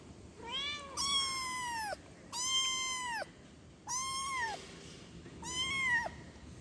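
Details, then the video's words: A kitten calling to its mother: four loud, bright meows with rich overtones, each rising slightly then sloping down, repeated roughly every second and a half. "efek suara anak kucing mengeong memanggil emaknya"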